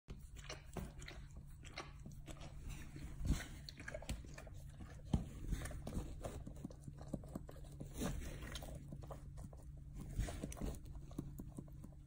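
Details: A dog chewing and licking at its own rear with gusto: irregular wet clicks and crunchy smacks, some louder bites near the third, fifth and eighth seconds, over a steady low hum.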